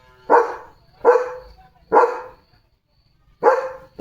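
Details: German Shepherd named Leo barking during a day of command practice and jumping onto a car, barking to draw everyone's attention; four sharp, loud barks spaced under a second apart with a pause, a fifth starting at the end, over a quiet background.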